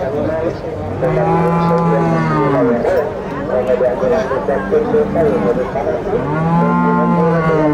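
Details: Bulls at a livestock market in Nueva Guadalupe, El Salvador, give repeated low moos, several overlapping bellows that hold steady and then fall away, over a busy background of people and market noise.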